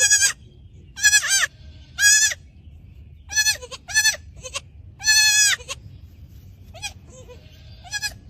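A young goat kid bleats repeatedly in high, wavering, nasal cries.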